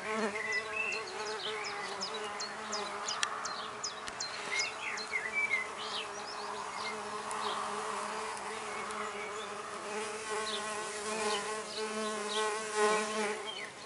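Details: Red orchard mason bees, female solitary bees starting work at a back-garden nest block of recycled oak. A loud, steady droning hum persists the whole time, with bright bird chirps and trills overhead.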